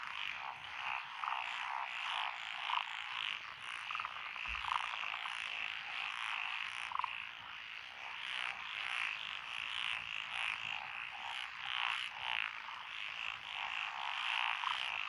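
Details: Dense chorus of frogs in lotus rice paddies along a country road in Echizen, Fukui, Japan, June 2021; many overlapping croaking and trilling voices form a continuous pulsing wall of sound, with bright repeated chirps and high insect-like ticks above.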